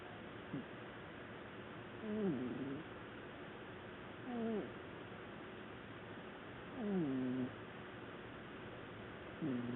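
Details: A black house cat asleep on the sofa gives loud snores: low, buzzy breaths that sag in pitch, four of them spaced about two and a half seconds apart, with steady faint hiss between.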